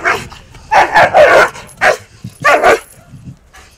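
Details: Aggressive Akita Inu that bites, worked with a trainer in rehabilitation and rated 6.5 of 10 for social risk; short, rough barks come in quick clusters, a tight group near the start, then a single bark and a final pair.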